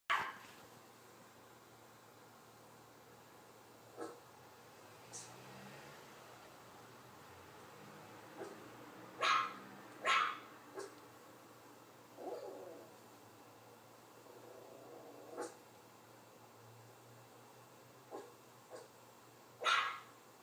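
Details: Dog barking while watching a puppy on an iPad: scattered sharp barks, a few fainter yips between them, with long quiet gaps and a steady low hum underneath.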